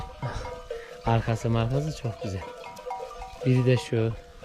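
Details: Akkaraman sheep lambs, newly separated from their mothers, calling out for them: several loud, wavering, nasal bleats in short bursts, a pair early and another pair near the end, over steady musical tones and faint voices.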